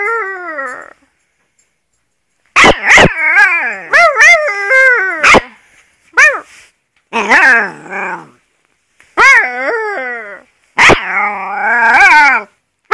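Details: Young Alaskan Malamute crossed with wolf gives repeated howls, wavering and sliding downward, mixed with quick yips and clicks, with short silences between phrases.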